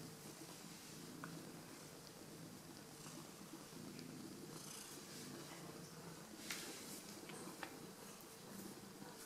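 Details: Pet cat purring while welcoming its owners home, glad to see them; a continuous low purr holds throughout, steady in rhythm, with scattered clicks, rustles and a brief sharp tap near the middle inside a small room.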